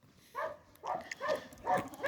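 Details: Working herding dog Medo, a Croatian Sheepdog, barks in short bursts, three or four rough, uneven yelps close together with outdoor background noise.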